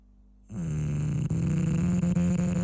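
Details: A sleeping English bulldog snores in one long, loud, buzzy rumble that starts abruptly after a brief quiet moment and holds a steady low drone to the end, with slight rattling flutters.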